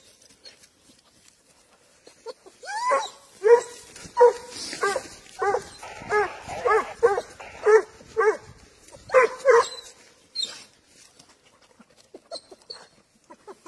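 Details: Spanish hound tracking wild boar, bursting into a rapid series of ringing, slightly rising bays, roughly two per second, after a quiet start, then trailing off into faint distant calls.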